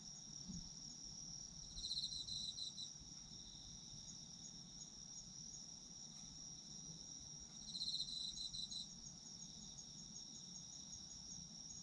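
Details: Autumn insect chorus for sleep: unbroken high-pitched trilling throughout, interrupted twice by short bursts of louder rapid chirping about six seconds apart, with soft low rumble beneath.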